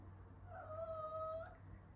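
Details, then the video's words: Domestic cat meowing, a call used to attract other cats: one long steady drawn-out meow lasting about a second, tonal with clear harmonics and a slight rise and fall, over a low background hum in a quiet room. "MIADO DE GATO"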